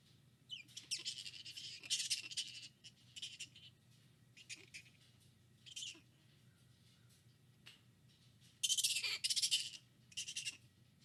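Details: Flying foxes in captivity at the Lubee Bat Conservancy in Gainesville, Florida, recorded by a live bat cam. Shrill, scratchy squeals come in ragged bursts separated by short pauses, with one longer, louder flurry late on over a steady low hum.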